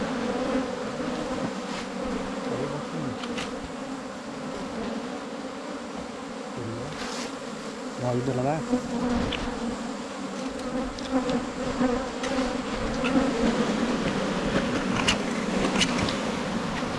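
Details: A continuous humming of a wild Asian honey bee colony on a 2022 honey-hunting trip. The drone holds steady throughout, with intermittent men's speech and occasional knocks.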